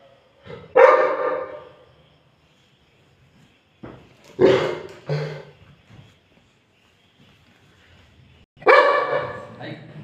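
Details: Labrador dog, described as angry, barking in short, harsh bursts: one bark, a double bark after a pause of about three seconds, then another strong bark near the end, with silence between.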